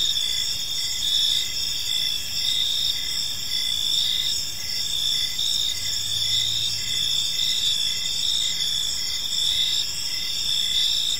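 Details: Crickets chirping in a peaceful park as evening unfolds: a dense, steady high-pitched insect chorus in several layered bands, with a softer pulsed chirp repeating rhythmically underneath and a faint low hum.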